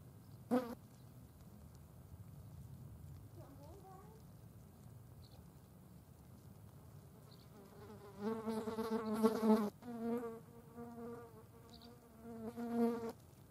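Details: Green bottle flies at a dead mouse, feeding on it: after a quiet stretch with a single sharp tap, droning harmonic wing buzzes swell in from about eight seconds, rising and falling in pitch as they come and go in several bursts.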